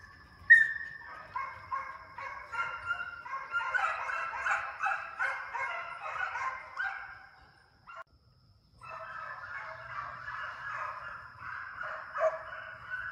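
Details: Pack of hound pups chasing coyotes inside a fox pen as summer training; dense, continuous chorus of howling bays from several voices, a brief lull near the eighth second, then baying resumes.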